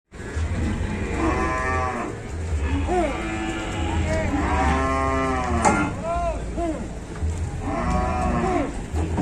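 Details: Cow stuck and being helped onto a truck by four villagers in Indonesia: repeated loud, strained moos with rich harmonics, several in a row, over a steady low rumbling hum, with people exclaiming nearby.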